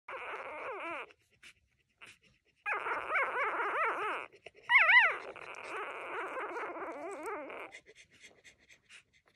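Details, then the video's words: A three-day-old female puppy at Best Friends Animal Society whimpering: long strings of thin, wavering squeals rising and falling in quick warbles, with short pauses between bursts and one louder squeak near the middle. "Tiny puppy has so much to say!"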